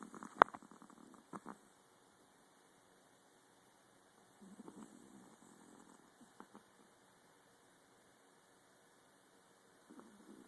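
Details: Snoring from a miniature Pomeranian comes in short, soft, rasping bursts: a cluster at the start, another in the middle, and a faint one at the end, with near silence between them.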